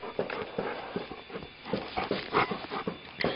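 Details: Brown, also called Bruin, a two-year-old pound puppy mutt playing fetch with his frisbee, gives quick rhythmic breathy puffs, about two or three a second, while a man praises him and urges him to bring the toy back.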